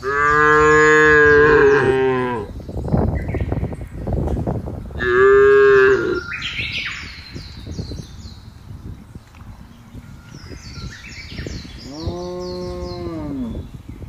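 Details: Thousands of cattle herded peacefully across an open grass field; three deep, drawn-out moos spaced several seconds apart, with rustling and thumping between them and high bird chirps in the background.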